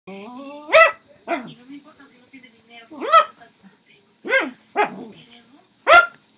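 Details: Poodle fighting with a bed: six sharp, high barks and yips spaced about a second apart, with quiet gaps between them and a faint human voice at the start.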